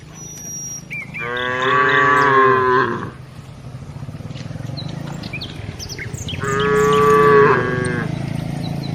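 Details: A cow in a village herd being walked gives two long, rich moos, each about two seconds long, with a pause between them.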